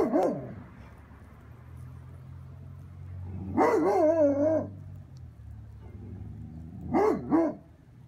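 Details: A Basset Hound howling at a cat gives mournful, quavering howls that bend in pitch, the longest about a second, then shorter yowling bursts after pauses, over a faint low hum.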